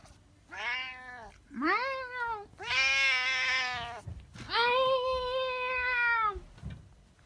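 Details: Pet cat meowing insistently: four loud, harmonic meows in quick succession, the first two short and curving, the last two long and sustained, with faint room noise between.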